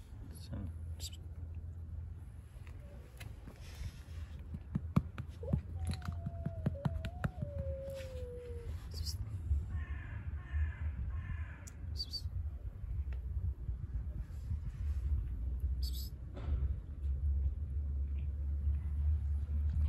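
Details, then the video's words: Street cat straining to reach food under a car gives one drawn-out, wavering mew that dips and trails off over about three seconds, amid steady low rumble, crunching and chewing noises, and faint soft human voices. "Cat making strange noises. The cat is trying to reach for the food under the car."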